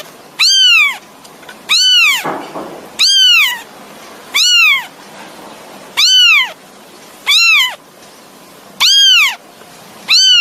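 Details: Young kitten crying out for its mother, eight evenly paced meows about every 1.3 seconds, each a brief arched wail that rises and falls, loud and clear over a quiet background.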